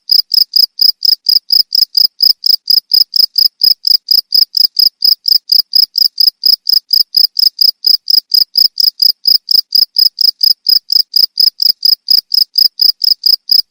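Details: Cricket chirping steadily, offered as a sound to drive away rats: high, shrill pulses repeated about twice per second in an even, unbroken rhythm, with no other sounds.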